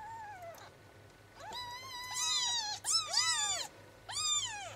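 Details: Kittens just four days old (Phoebe), 12 September 2009, squeal in quick, high, arching mews, several bunched together and overlapping, then a final cry after a short pause, in a quiet indoor setting.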